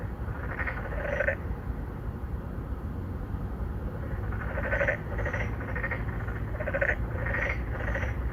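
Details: Endangered narrow-mouthed frogs courting at an apartment-complex pond in Incheon's Songdo, Korea, captured with a Galaxy Note9: scattered ringing croaks, some doubled, spaced by quiet gaps over a strong low-pitched traffic-like rumble.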